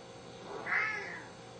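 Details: Hungry Siamese cat, one of two pets, seal point Pharaoh aged four and blue-lilac point Athena aged two, indoors at home; a single drawn-out meow rising then falling, about half a second long, with faint background music.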